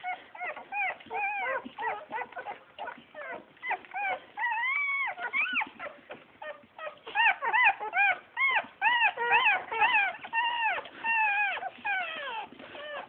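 Bull Terrier puppies whine and squeal in high, arching cries, many overlapping in quick succession.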